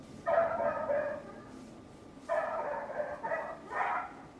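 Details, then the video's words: Neighbour's dog barking loudly in two bursts, a drawn-out cluster of barks, a pause of about a second, then three more barks in quick succession. "Neighbor's annoying dog noise"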